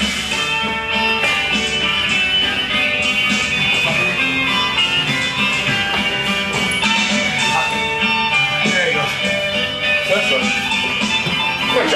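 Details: Loud guitar-driven rock music plays throughout at an even level, with no barking or other animal sound audible.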